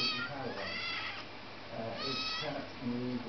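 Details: A female Siamese cat, told to get down, answers back with two drawn-out, wavering meows while a person speaks quietly underneath.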